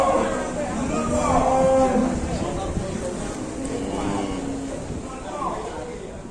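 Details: Sick cow with mucus discharge giving low, muffled moos that rise and fade repeatedly over several seconds, with background murmuring.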